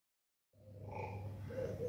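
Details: A jaguar (Panthera onca) at the Szeged Zoo gives a deep, rough grunting growl that starts abruptly after a moment of silence.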